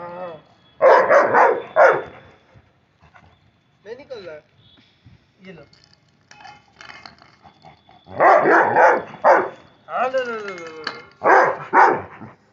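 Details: Labrador Retriever at play in India giving loud, rough barks in quick bursts of three or four, with a long gap between bursts; faint human voices and gliding tones fill the quiet stretches.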